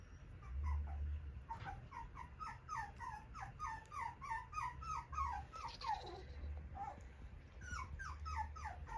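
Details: A friendly, bright and lively Cockapoo puppy with a gentle nature whimpers indoors: a rapid run of short, high, whining yelps, some falling in pitch, repeated several times a second in bursts, over a low steady hum.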